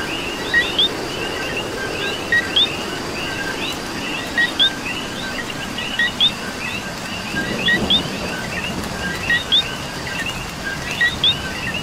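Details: Coqui frogs calling in the rain in Puerto Rico: a close frog repeats its two-note co-QUI, a low note then a higher upswept whistle, about every two seconds. A dense chorus of other coquis and steady rainfall fill the background.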